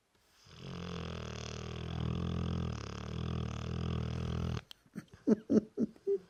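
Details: Dorset Old Tyme Bulldog, three years old, snoring heavily: a sustained, buzzing, rattly snore lasting several seconds, then a few short snorts and sniffs.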